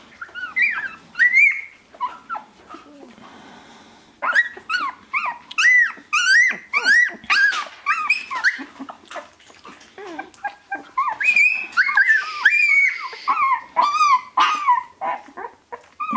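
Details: Shiba Inu puppies, born 25 February 2017 and sixteen days old, crying indoors in a busy chorus of high, wavering squeals and whines with rising and falling contours, some overlapping, broken by short pauses.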